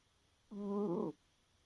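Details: Tired house cat asleep in the early hours, giving a single voiced snore lasting just over half a second, steady and droning with rich harmonics, set against a quiet, faintly hissing room.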